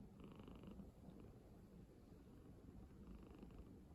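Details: Quiet, low rumbling snores from a cat dozing on a person's bed, steady and faint, with a couple of brief higher tonal streaks near the start and end.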